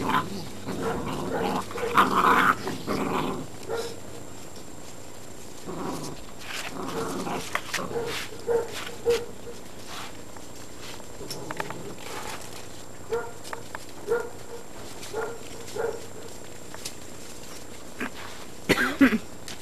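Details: Great Dane puppies, 52 to 56 days old, from litters O and N at the Baia delle Sirene breeding in Italy, playing as a group: rough growls and short yips come in bursts, the loudest early, then scattered squeaks and thumps.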